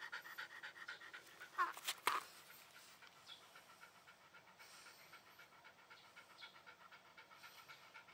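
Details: Shiba Inu dog breathing in quick, soft panting huffs, with a couple of sharp knocks early on, then steady low-level panting to the end.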